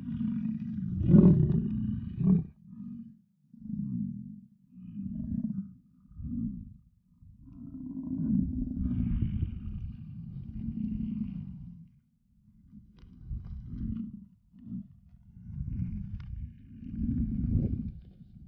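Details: American bison bulls in rut at Yellowstone; a series of short, deep rumbling bellows separated by brief silences, with one longer drawn-out roar in the middle.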